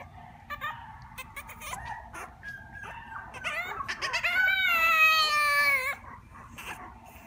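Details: Puppy giving a run of short high whimpers and yips that build into a longer, wavering whine near the middle, then fade back to soft squeaks, over a quiet low hum.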